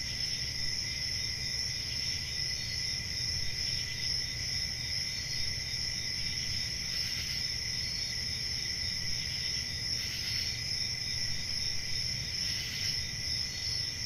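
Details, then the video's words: Summer-night forest crickets keep up an unbroken high-pitched shrill trill, with brief brighter pulses of extra chirping near seven, ten and twelve seconds, above a soft low rumble. "Relaxing Cricket Sounds For Sleep Ambient Summer Night"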